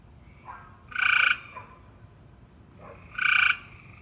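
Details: Frog making two nasal bleating calls, each preceded by a soft rising note, with a quiet low rumble in the background.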